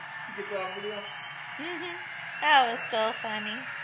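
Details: Young female Pembroke Welsh corgi, close to ten months old, finding her voice. Wavering, tuneful howls rise and fall, then end in three short, louder yodel-like bursts. Faint steady background hum throughout.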